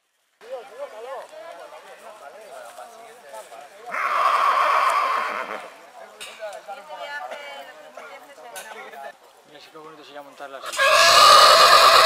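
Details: Purebred horse neighing in spring: wavering harmonic calls early on, then a loud, bright, shaky whinny near four seconds lasting about a second, and another strong burst at the very end, with fainter murmuring between.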